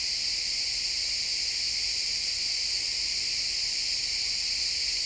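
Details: Crickets chirping in a pine forest at sunset, a dense steady high-pitched shimmer of many insects layered in bright bands, continuous without pause, with faint low woodland ambience beneath.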